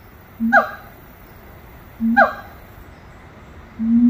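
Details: Two short calls from monkeys singing at Little Rock Zoo, each a low hoot joined to a downward-sweeping higher note, spaced about a second and a half apart, then a longer low hoot.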